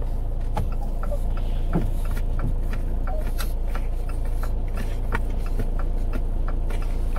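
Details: Steady low rumble like an idling engine fills the recording, with scattered faint clicks and knocks and no animal voice.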